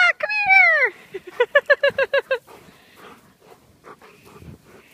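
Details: Giant Schnauzers playing in the snow. A long, falling, whining cry comes first, then a quick run of about eight short, high yelps. Softer, scattered sounds follow.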